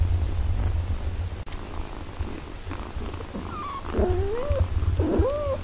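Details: Mother cat tending her six-day-old kittens, all in good health: a low, continuous purr for several seconds, then three rising-and-falling harmonic mews close together near the end.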